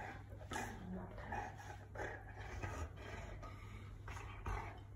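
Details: Female Boerboel indoors, playfully dominating her owner by gently pushing her over during a game: short low whimpering and grumbling bursts roughly every half second to a second, with a woman's voice faintly in the background.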